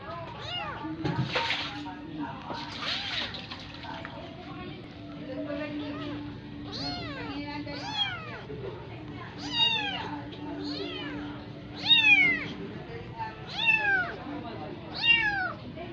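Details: Adopted Persian kitten at the teat of a cat that is not its own mother; rapid series of high arched mews growing louder toward the end, a brief noisy burst near the start, low hum throughout.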